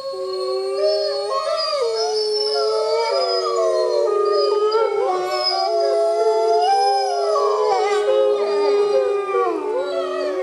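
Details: Wolf pack at Bays Mountain Park giving a chorus howl in the rain: many overlapping long, wavering howls, some sliding up and down, others holding steady, layered into a dense continuous chorus.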